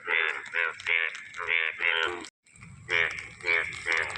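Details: Yellow frogs calling and dancing at the start of the rains, enjoying the first rainfall; loud harmonic croaks pulse in short bursts about every half second, with a brief gap midway before the chorus resumes.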